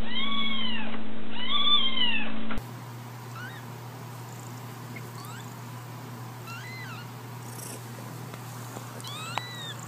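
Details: Kittens meowing: a few clear arched cries at the start over a low hum, then faint high, thin mews scattered through a quieter, hissy background.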